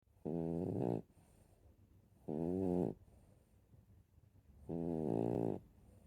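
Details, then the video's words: Dog snoring indoors: three drawn-out, harmonic, rasping breaths, each under a second long and coming roughly every two seconds, with quiet low rumbling in between. "share the snoring"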